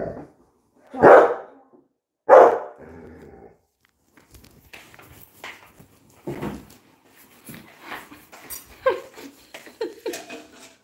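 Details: Coco the Labrador Retriever gives two loud sharp barks a second apart, followed by quieter indoor rustling, clatter and soft Bengali talk.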